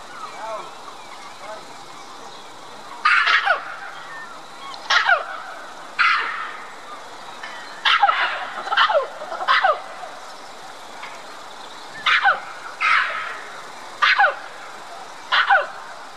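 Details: Red-capped mangabey high in a tree at Dublin Zoo, calling for attention to white-collared mangabeys across the lake in a mixed-species habitat; loud, harsh, downward-sweeping calls, sometimes paired, repeated about every one to two seconds over a steady background hum.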